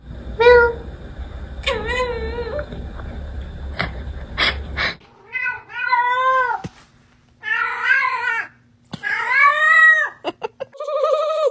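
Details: Domestic cat giving a string of unusual, drawn-out meows indoors, each wavering and bending in pitch, some rising then falling, about seven calls with short gaps, the first few over a low hum and brief human voices.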